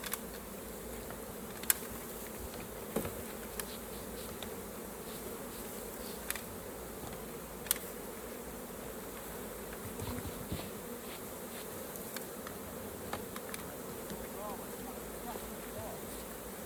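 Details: Honey bees swarming around their hive during honey harvest give a constant low buzzing hum, broken by sharp clicks and taps of equipment.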